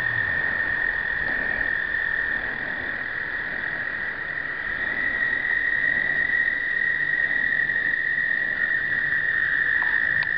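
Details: Many American toads trilling at once during a 2009 explosive breeding event, a continuous high, even, buzzing-musical drone with faint overtones and little else; recorded on a pocket point-and-shoot camera.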